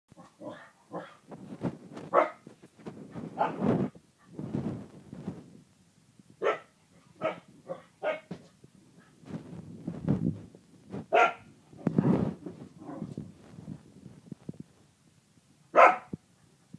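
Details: Male Kerry Blue Terrier with his bone, giving irregular bursts of short sharp barks and yaps mixed with low rumbling growls, some barks loud and others softer, spread unevenly across the recording.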